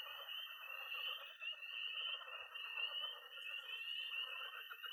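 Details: Unbroken chorus of peeping tree frogs and high trilling toads at a Missouri pond on an early-spring night; shrill overlapping peeps ride above a constant trill, with no low-pitched sounds.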